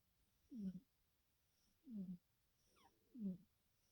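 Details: Two black cats, a mother and her grown son, in deep sleep with twitching: soft snorting snores, each a short low nasal rasp, repeated about every one and a half seconds, three in a row, in a quiet room.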